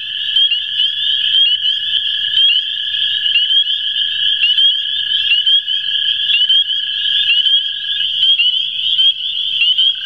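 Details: One of two American toads calling at the CWRU Farm, April 21, 2016: a level, droning trill lasting about eight seconds, partly masked by a loud, constant backdrop of shrill chirping calls.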